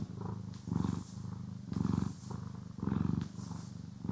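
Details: Pet cat purring during grooming and brushing, stereo recording: low rattling purr rising and falling about once a second, with faint bristle strokes sweeping over it.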